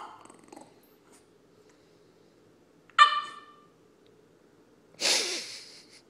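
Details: French Bulldog; whine; wanting attention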